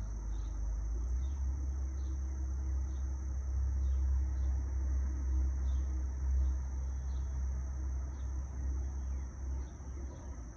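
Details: Cicadas buzzing among trees beside a lightly trafficked road, wind present: one constant high whine sustained the whole way, backed by strong low engine rumble and sparse, faint brief chirps repeating irregularly.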